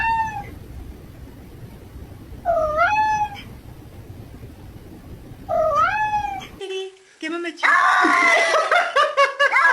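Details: Female domestic cat reacting on seeing soap: three drawn-out, rising-then-falling meows spaced about every three seconds, followed by a burst of noisy scraping and other sounds, with some speech and music nearby.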